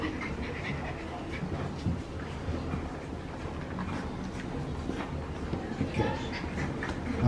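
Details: French Bulldog puppies at Umpqua Valley Kennels in Drain, Oregon, panting and snuffling in a steady, breathy, low rustle, with a woman talking to them in the background.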